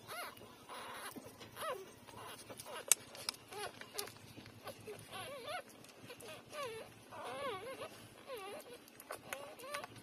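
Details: Newborn puppies, three days old, feeding at their mother; frequent short squeaky whimpers and wavering whines in quick irregular succession, mixed with soft suckling and rustling noises.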